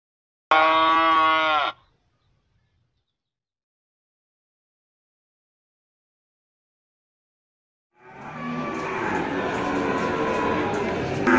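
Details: Male goats at a sale in Gunungkidul, September 2020: a single harsh, nasal bleat of about a second, then silence, then a long stretch of mixed noise and overlapping calls.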